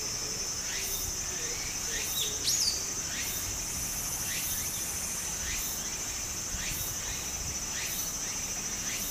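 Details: Summer cicada chorus by a small Japanese stream: an unbroken piercing buzz sits high over the hiss of flowing water, with louder pulses recurring roughly every second and a few soft chirps and sliding notes mixed in.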